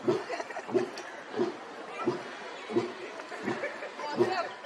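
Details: A captive lion at Katraj Zoo, Pune, gives a series of deep, throaty grunts, repeated roughly every two-thirds of a second.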